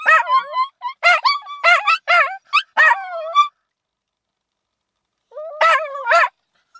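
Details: Little dog howling like a wolf, with its shrill brother dog also audible in the background: a quick series of short, tonal, wavering yelping notes over about three and a half seconds, a silent gap, then another brief burst of rising and falling notes.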